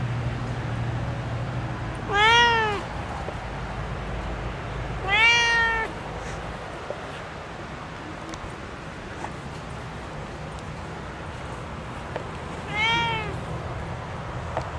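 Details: Domestic cat kept indoors, meowing in jealousy and displeasure at not being let out onto the porch while others are outside; three loud, drawn-out harmonic meows, each rising then falling, spaced about three and seven seconds apart over steady low background hum.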